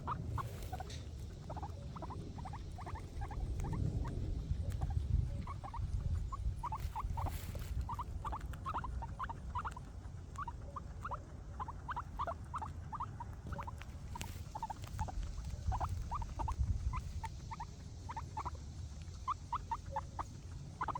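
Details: Guinea pigs eating grass make rapid, short, ticking squeaks and crunches in quick irregular bursts over a low rumble.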